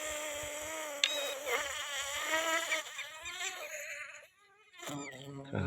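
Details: A black carpenter bee nesting in dry, rotten wood gives a loud, wavering, low-pitched buzz after being prodded in its nest hole, then becomes agitated and attacks.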